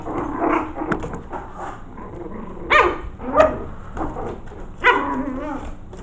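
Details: Five-week-old Maltese mix puppies in their corral, curious about a newly added camera, give short, high yapping barks in scattered bursts, some clustered and some single, over soft shuffling and scuffling.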